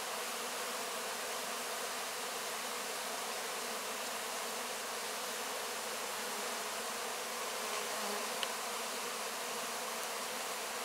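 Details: Close-up of honey bees clearing wax cappings after a honey harvest, giving a constant airy hum from the crowd of insects, with a single brief tick late on.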